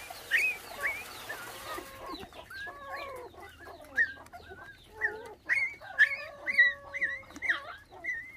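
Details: Vietnamese litter of five motherless puppies, bottle-fed since losing their mother to dog thieves at six days old; rapid series of short falling chirpy whimpers, roughly two per second, after a brief hiss.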